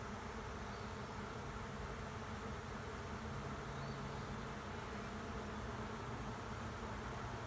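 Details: Honey bee swarm moving into an empty hive at the end of a driveway: a dense, steady low buzz of many bees, unbroken and even in loudness throughout.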